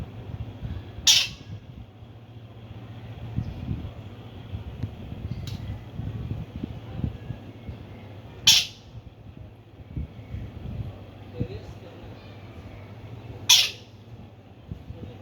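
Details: Himalayan squirrel chirping loudly: three short, sharp, high-pitched calls spaced roughly five to seven seconds apart, with faint clicks between them over a constant low hum.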